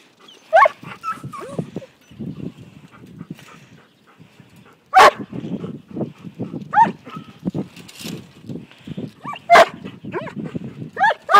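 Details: Briard puppy named Aragorn, five months old, herding sheep for the first time; scattered sharp barks and yips between stretches of low rumbling noise, with a short whine early on.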